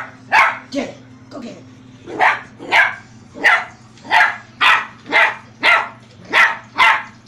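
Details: Poogle, a poodle-beagle mix, barking steadily: about a dozen sharp, bright barks at roughly half-second intervals, with a steady low hum underneath and a person urging the dog on beforehand.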